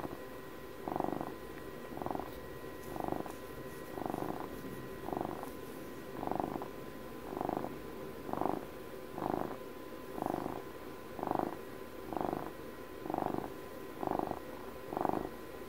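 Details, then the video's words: Domestic cat purring close to the microphone, a soft low rumble that swells and fades with each breath about once per second, steady throughout, with a faint constant electrical tone in the background. "ASMR CAT PURRS"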